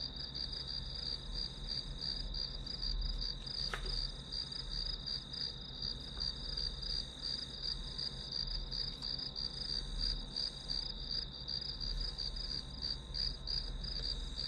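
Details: Continuous grass insect chirping used as study white noise. Shrill, evenly pulsed notes keep coming about three per second, with one brief sharp click partway through and a faint low rumble beneath.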